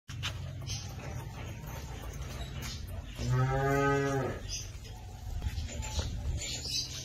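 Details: A heifer from a group of twelve Holstein Friesian and Jersey heifers offered for sale gives a single harmonic moo lasting about one second, steady in pitch, set against a constant low hum and faint background noise.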